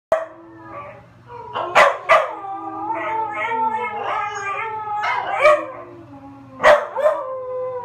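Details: A female dog howls again as if talking about something: wavering, tuneful howls that rise and dip, broken by sharp yelps near two, five and seven seconds, over a faint steady low hum.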